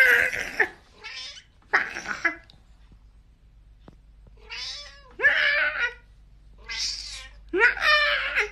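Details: Domestic cat from a compilation of angry, funny cats: a series of loud, drawn-out, wavering meows and yowls, each about half a second to a second long, with silent gaps between them and faint background music.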